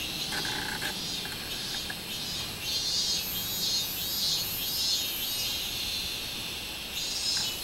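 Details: Minmin cicada singing on 24 July 2016: dense, hissing high-pitched drone with pulsing surges that swell strongest midway through, over a steady background of insect buzz.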